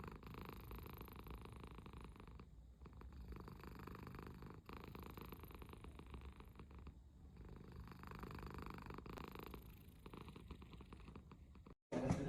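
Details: American Shorthair cat purring: a soft, continuous low rumble with gentle rhythmic pulsing, ending in a brief louder noise.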